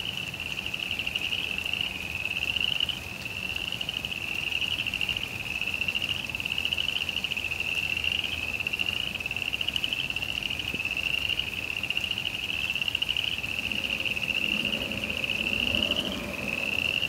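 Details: Frogs heard through rain in a suburban backyard keep up an unbroken, high, rapidly pulsed trill for the whole stretch, with rain patter throughout and low rustling, like footsteps, near the end.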